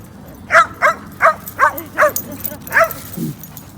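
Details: Basenjis playing together at a dog park, four running in a group: a series of six short, sharp yelping calls spaced roughly half a second apart, a final low grunt, over steady outdoor background noise.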